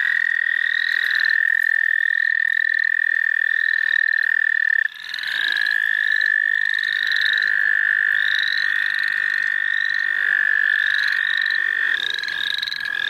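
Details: Wild frogs calling in the St. Olaf College Natural Lands during a frog-catching outing: a steady, high, unbroken trill runs throughout, overlaid by short rising peeps repeated roughly every second, with a brief dip near five seconds.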